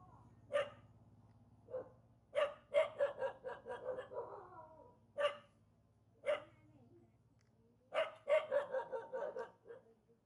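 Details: Villagers' dog near a mountain, unhappy on meeting people, barks in irregular bursts: single sharp barks separated by pauses, and two rapid runs of several harsh barks, with a low hum underneath.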